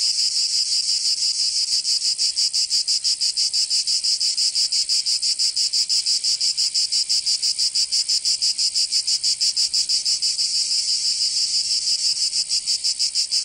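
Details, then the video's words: Summer cicada chorus in Provence, southern France, a steady shrill rasping drone pulsing at roughly three beats a second throughout, unbroken and without other animals or voices. "Canto Cigarra 🦗 [ Escuchar les cigarras en verano 10 H]"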